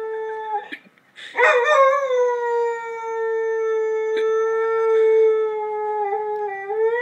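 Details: Lurcher singing at the daily arrival of the ice cream man, a sustained, even howl held for about five seconds after a short rising start, with a faint ice-cream-van jingle and a few clicks in the background.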